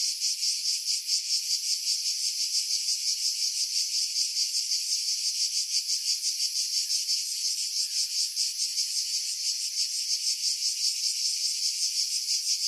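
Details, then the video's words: Cicadas in pine trees 50 m above the sea, Pefkos Bay, Skiros Island, Greece, July 2018: an unbroken high-pitched sizzling buzz with quick rhythmic pulses, heavily filtered to strip out wind. "Cicada Sounds, July 2018 Skiros, Greece"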